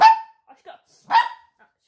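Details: Shih Tzu barking: two sharp, high yaps about a second apart, each a short bright burst with a clear tone near the middle, separated by a few faint small noises.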